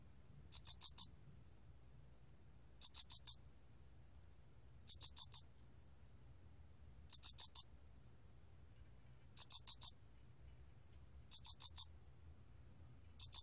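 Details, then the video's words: Song of an alak cricket (알락귀뚜라미), from a 2020 National Institute of Biological Resources recording: short, high trills of about four quick pulses, repeated every two seconds, with a faint low hum beneath. "알락귀뚜라미, 1번 듣기, 곤충소리"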